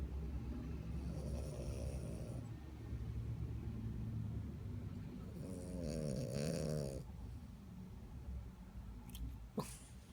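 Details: French Bulldog snoring while asleep, a continuous low rumbling breath with two louder rasping, wavering snores, then a brief sharp click near the end.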